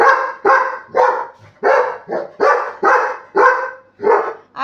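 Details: A Labrador Retriever called Buddy, urged to bark louder to wake his father, lets out a fast run of about nine rough, forceful barks, nearly two per second, slightly uneven in spacing.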